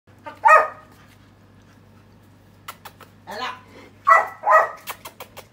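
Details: Rescued, formerly abandoned puppy indoors giving short, sharp barks, one at the start and a quick pair near the end, with a person speaking between them and a low steady hum underneath.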